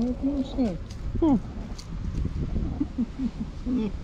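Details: Hungry white tabby stray cat, female, meowing loudly beside people she missed; short falling harmonic meows repeat several times over murmured Turkish speech and low background rumble.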